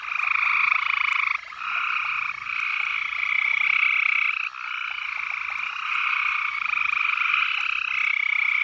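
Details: On a summer night with sunset glow still visible, a dense chorus of frogs at a trickling horse trough forms a steady, ringing trill with only brief pauses.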